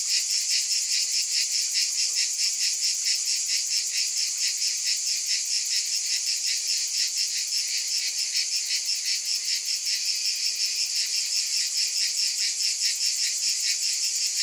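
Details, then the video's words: Cicadas buzz in a steady, dense chorus, a high shimmering drone that pulses about twice a second with no pauses, with no other sounds over it. "Scintillating Cicadas 1 hour White Noise"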